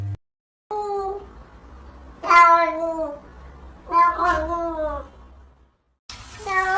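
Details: Domestic cat giving short, drawn-out meows with downward-sliding tones, spaced irregularly with quiet pauses between, a low room hum underneath.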